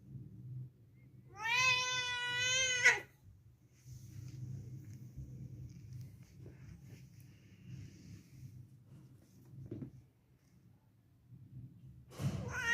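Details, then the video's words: Indoor cat gives one clear, drawn-out meow lasting over a second. Quiet room noise follows, and a second meow begins just at the end. "Kedi sesi kedi çağırma sesi"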